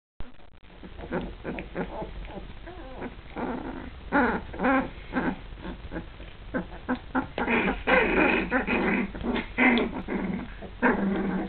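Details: Border Collie pups, two and a half weeks old, starting to play; rapid bursts of small harmonic growls and squeaky whines overlap and tumble together, several each second, growing busier and louder toward the end.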